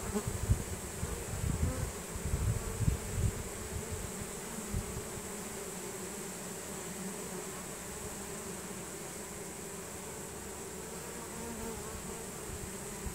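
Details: Honey bees of a swarm streaming into a new hive, signalling with nasanov pheromone; low rumbling bursts over the first few seconds, then a smooth, continuous humming drone.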